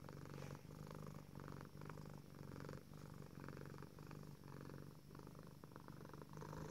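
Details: Selina, a female tuxedo cat, purring with satisfaction while stretching her front paws in her favorite cat tree indoors; a steady low motor-like rumble pulsing with each breath, about twice per second, throughout.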